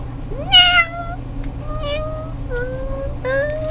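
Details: Pet cat playing with a fishing pole toy, giving a series of steady, drawn-out tonal meows, the first with a quick upward slide, each lasting about half a second, over a low constant indoor hum.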